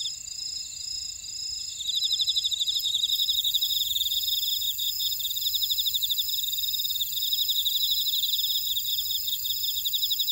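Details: Buckwheat-field insect chorus from Ora-dong, Jeju, South Korea: quieter opening, then from about two seconds a loud run of fast, evenly pulsed chirps joins constant high-pitched ringing tones, a ceaseless shrill texture.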